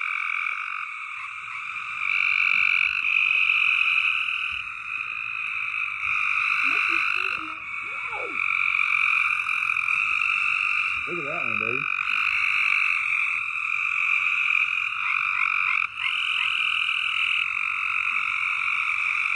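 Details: Loud frogs calling in a dense, unbroken chorus: a steady high trilling wall of sound with a few brief low wavering sounds partway through.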